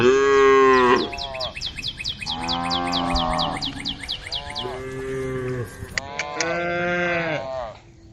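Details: Group of female cows on a road calling the herd: four loud, drawn-out harmonic moos, each about one second long with short pauses between, some rising at the end, over a rapid series of high repeated chirps early on.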